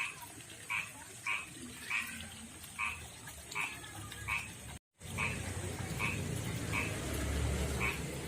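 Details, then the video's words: Rough-skinned male frog from a backyard pond and river calling to a female; evenly spaced short croaks, interrupted by a brief dropout, then continuing over louder low rumbling background noise. "begini suara kodok jantan panggil betina"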